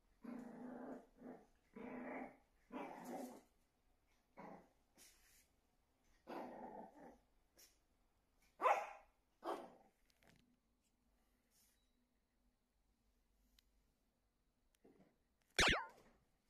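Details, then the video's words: Shih Tzu named Meimei, recorded 24 October 2022, growling at her mirror reflection as if another dog stood behind the glass: rumbling growl bursts and short sharp barks for ten seconds, then quiet, with one sharp click near the end. "西施犬 美玫 ShizTzu VLOG 2022/10/24 照鏡子囉"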